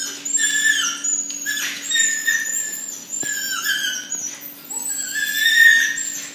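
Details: A Phu Quoc Ridgeback being mated for the first time gives a run of high-pitched, wavering whines and squeals that break off, over a faint steady electrical hum.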